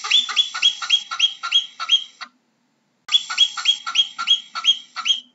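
Harsh, ringing chirps from a marmot come in a rapid series, roughly three per second. After a short silence, a second run of the same loud, slightly nasal calls follows.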